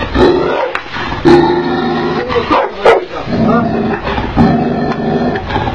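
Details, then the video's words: Angry Tibetan Mastiff giving deep, rough barks mixed with growls, several loud bursts over a few seconds. "Tibetan Mastiff Dog in Angry Mood"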